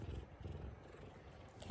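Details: Large male F2 Savannah cat purring during affectionate headbutts at home, a deep continuous pulsing rumble with no other clear sounds.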